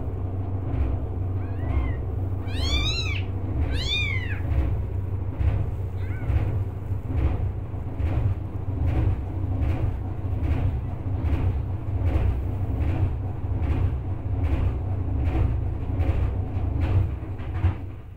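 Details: Ginger kitten, one of five born to street cat Hope, meowing loudly for help after failing to get milk; two strong arched meows early on, then a low rhythmic pulsing background with faint calls.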